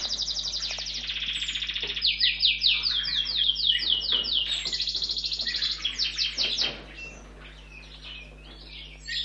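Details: A few-week-old orphaned red squirrel kit at a rescue station, found lying near-lifeless on a street, begs while being fed with fast bursts of high, thin, chirping squeaks, then fades to quieter rustling.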